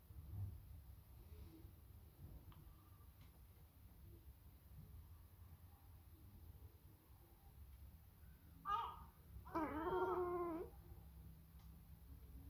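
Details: Sacred Birman cat calling toward a seagull indoors; after a long quiet stretch comes a short bright call, then a longer, wavering, nasal chatter lasting about a second.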